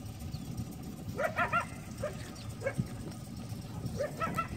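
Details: Coyote barking an alert at Lake San Marcos, California, around 5:30 pm in the evening, heard from a boat, calling repeatedly for at least 15 minutes; short, yelping barks with rising pitch come in quick bursts, some doubled, over low background rumble.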